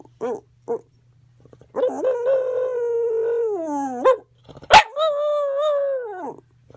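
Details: Female dog Roo, howling strangely after her medication dose went up: two brief yelps, then a long sustained howl that slowly sinks before a rising flick, followed by a sharp yip and a second drawn-out howl.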